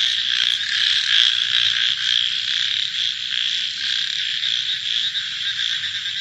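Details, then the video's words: Frogs heard at night in a thick continuous chorus, high and buzzing, with some louder pulsed croaks early on before the din settles into an even, slightly fading drone. "Frog Night Sounds"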